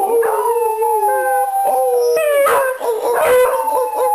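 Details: Pet Beagles Conan, Princess and Daisy howl in a group on their owner's return home. Steady, overlapping long howls with shifting pitch and a swelling middle section.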